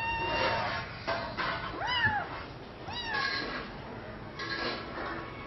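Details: Female house cat that arrived at two weeks old and misses her mother's milk: two clear, rising-then-falling meows about a second apart in the middle, with fainter mewing before and after.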